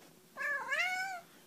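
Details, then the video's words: Domestic cat saying hello, a single rising-then-falling meow lasting under a second, clear and harmonic, in a quiet indoor setting, with a person saying hello nearby. "Funny Cats Saying Hello"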